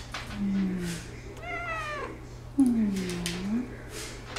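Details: Persian cat wanting attention, indoors: two drawn-out, low, mewing meows, the second louder and arching down then up, with a person softly repeating a word between them.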